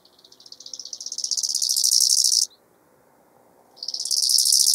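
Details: A bow-winged grasshopper (Chorthippus biguttulus) in Hanfeld, Germany, on 19 September 2021 stridulates in dry, high-pitched rasping phrases that swell steadily louder.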